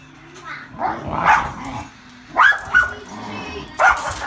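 A Miniature Schnauzer gives short, mid-pitched barks and yips, spaced irregularly a second or so apart. Faint rumbling between the bursts fits playful growling, and a soft voice may be heard in the background.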